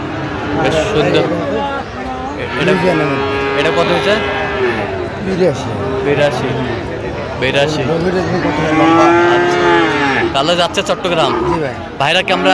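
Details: Busy cattle market in Chattogram, Bangladesh, 13 November 2025, with a Sahiwal bull calf for sale: a series of deep bellowing moos, one long sliding call near the end, over dense talk and crowd hubbub.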